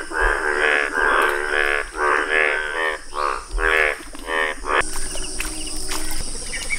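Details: Indian bullfrogs, yellow in colour, give rhythmic nasal croaks in short harmonic bursts for about five seconds. The croaking then gives way to background noise and a faint, continuous high-pitched trill.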